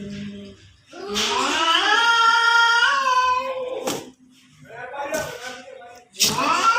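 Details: Domestic cats fighting in front of a house: a loud, drawn-out wailing yowl wavers up and down for about three seconds, followed by shorter rising cries and sharp bursts after brief pauses.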